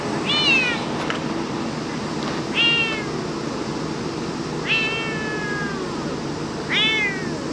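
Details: Stray cat meowing, recorded in Japan: four short meows about two seconds apart, each a clear harmonic tone that falls in pitch, over a steady low background hum.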